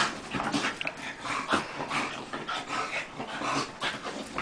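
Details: Two dogs, Tank and Bofa, grappling in play; rough breathy snorts and scuffling bursts come in quick irregular succession, with a sharper huff near the middle.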